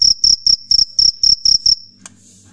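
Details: Cricket (jhingur), a male rubbing its wings together at night to attract females: shrill, high, pulsed chirps repeated about four times a second for nearly two seconds, then stopping abruptly, leaving a faint low hum.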